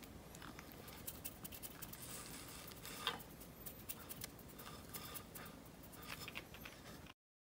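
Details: Two-year-old male dog indoors eating crocodile jerky for the first time, crunching loudly: soft irregular crackling and crisp clicking bites scattered throughout, one sharper snap near the middle, with a quiet room background.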